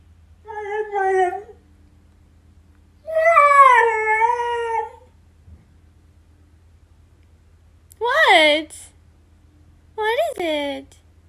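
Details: Siberian Husky complaining, wanting to go outside, recorded on an iPhone XR; long wavering moaning howls followed by two shorter rising-then-falling yelping calls, with pauses between and a constant low hum.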